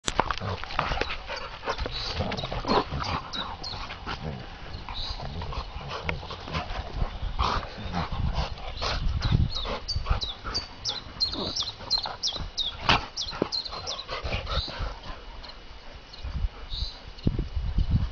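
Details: Two pet golden retriever dogs play fighting together outdoors, a habit after play in the garden and woods; low rough growling and scuffling noises run throughout, with bright chirping birds high in the background.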